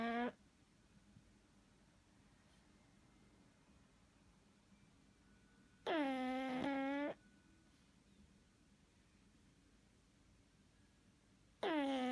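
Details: Sleeping pug snoring indoors: steady, harmonic, whistling snores about a second long, each holding a nasal tone with a slight wavering dip, coming roughly every six seconds, separated by quiet breathing in a small, hushed room.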